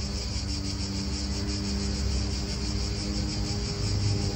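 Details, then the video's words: Cicadas in an Italian park, a continuous high, even buzzing drone with no breaks, set against a heavy low rumble of wind and nearby car traffic. "Cicadas wind real atmosphere in an Italian park"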